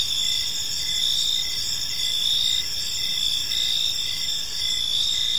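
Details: In a park at evening, crickets keep up a dense, shrill chorus, a steady high buzz with faint rhythmic pulses and quiet low-frequency background noise.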